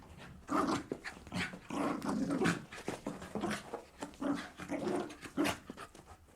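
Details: Playful Jack Russell terrier bounding about; gruff, breathy pants mixed with low growly rumbles, rising and falling in uneven bursts indoors.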